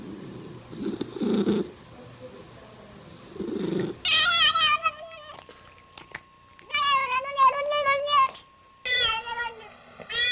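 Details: Domestic cat making weird sounds: soft low murmurs, then high, harmonic meows and chirping trills in quick runs, with a steady faint tone in the background.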